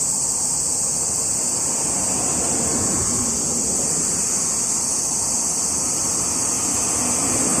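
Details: On 17 July 2021, a dense cicada chorus forms a continuous shrill drone with no breaks. A rumble of passing cars runs beneath it the whole time.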